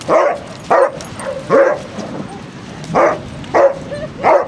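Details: Basset Hounds out on a group walk at Kilve on the Quantock Hills, Somerset, 12 July 2015; six loud, deep barks in irregular bursts about every half to one second, with a quiet outdoor background.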